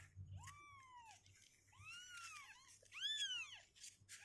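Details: Several clear, drawn-out meows from two-week-old kittens, each rising then gently falling, the last one loudest, in a quiet indoor setting with only a faint low hum.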